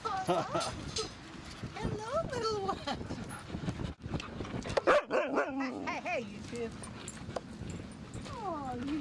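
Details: Dogs at Seal Point Dog Park during a visit, with rising and falling whining yips and whimpers, some sliding upward then down, mixed with a woman's voice greeting them.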